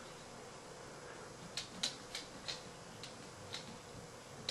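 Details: A quiet room hums faintly while a series of short, sharp clicks taps out irregularly in the second half; no animal voice is heard.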